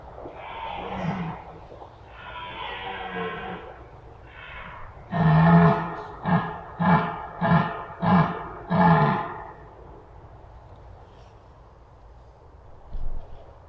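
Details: Red deer in the forests of Masovia, Poland: two drawn-out, harmonically rich groaning roars, then one long bellow leading into a run of five short, throaty roaring grunts spaced under a second apart, ending in near silence.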